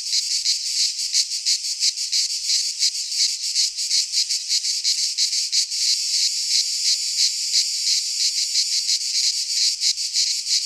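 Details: Cicadas singing in a Greek pine forest in midsummer, giving a bright, grating, continuous buzz with regular rapid pulses, a few louder surges, and no birds or people heard.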